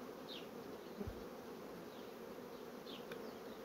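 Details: Honey bee colonies quickly drawing out comb on foundation sheets give a steady, dense, low buzzing hum. A single soft thump near the middle and faint, brief high chirps appear in the background.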